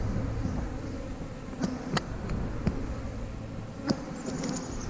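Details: Honey bees in an eight-frame hive during a frame inspection, with eggs, larvae and drones on the frames; a steady low hum of the colony runs throughout, broken by sharp clicks and knocks of frames being handled.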